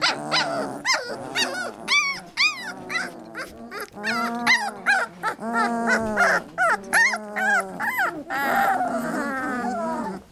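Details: Several three-week-old Labrador Retriever puppies in a lively chorus of high whimpers and yelps, rising and falling squeals overlapping rapidly with short pauses, some lower growly moans underneath.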